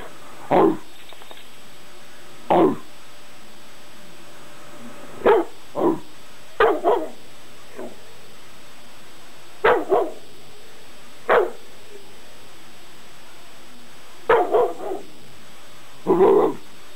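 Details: Dexter, an eight-month-old pet dog, barks in short, sharp single woofs and occasional doubled barks, about nine bursts spaced one to three seconds apart over a steady low background hum.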